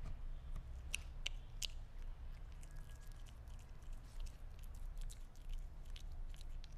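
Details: Sphynx cat chewing meat: bursts of crisp clicking bites, a quick cluster early, then softer, sparser squishy chews, all over a constant deep background hum indoors.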